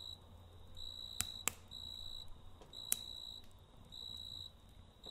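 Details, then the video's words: Crickets chirping at night beside a campfire: high, steady pulsed trills repeating in short bursts with brief gaps, broken by a few sharp crackles and pops from the fire, over a low background rumble. "Kamp Ateşi ve Cırcır Böceği Eşliğinde Dinlendirici Gece Sesi"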